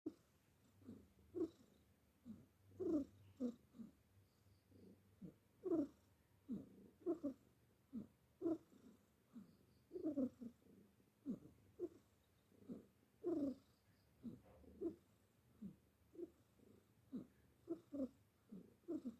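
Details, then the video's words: Simba the cat snoring while asleep indoors: a quiet run of short, soft, throaty breathing bursts, irregularly spaced roughly every half to one second, some slightly louder and rasping, over a low steady room hum. "simba suka ngorok"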